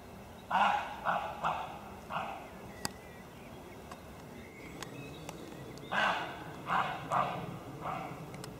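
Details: A roe deer met unexpectedly in the wild gives hoarse, dog-like barks in two short bursts of about four calls each.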